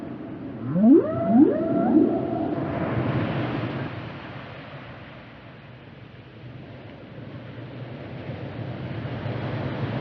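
Several sliding, upswept moans from a whale come in quick succession during the first two seconds. After that only a soft, rumbling wash of water remains.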